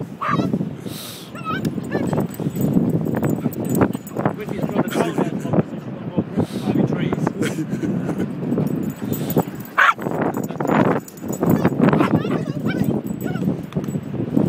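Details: Two Jack Russell Terriers playing on the beach and jumping over a washed-up tree; sharp barks and high yips come in quick, irregular bursts over steady wind-like noise, with human voices in the background.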